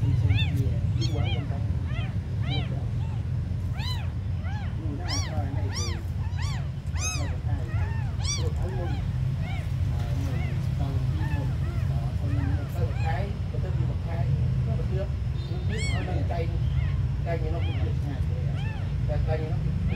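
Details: Abandoned kittens, said to be among the smallest, mewing over and over in high, arching cries, often several close together, above a steady low engine-like rumble.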